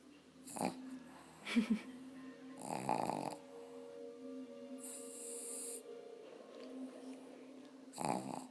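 A pug snores in wheezy, snorting breaths that recur every couple of seconds, with a steady hum beneath.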